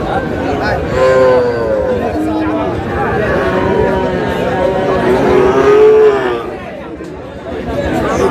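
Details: At Aftabganj market in Dinajpur, Sahiwal breed bull calves low as trading begins on 4 August. Several short tonal moos come in the first half, then a longer wavering one, all over a dense hum of human talk.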